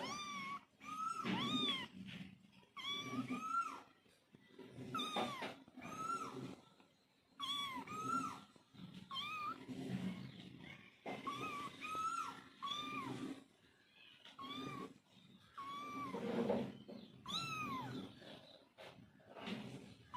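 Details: Mother cat calling to her kittens, with kittens calling back: a run of short, arched meows repeated every second or two, some paired, with thin higher mews between them and a faint low hum beneath.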